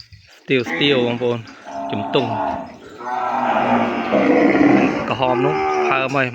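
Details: Cattle calf kept apart from its mother, crying to find her: short broken bleating moos at first, then a long rough moo and a final clearer harmonic call, with pen noise around.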